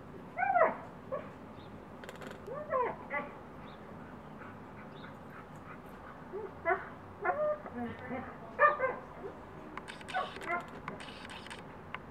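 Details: Siberian Huskies playing through a fence, one a neighbour's husky eager to get into the yard where the dogs dig toward each other; short rising and falling yips and whines come in scattered bursts, with faint voices in the background.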